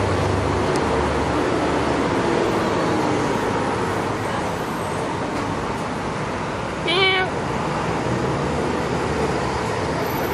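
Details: A stray domestic cat gives a single short meow, a harmonic-rich call lasting under half a second. It stands out against steady background hum and traffic-like noise.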